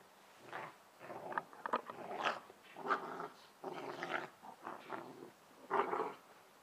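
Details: Two Bernese Mountain Dog puppies, sisters Ylvi and Yella, wrestling in play in a garden; rough, raspy growls in short bursts of about half a second, broken by brief pauses and a few sharper yips.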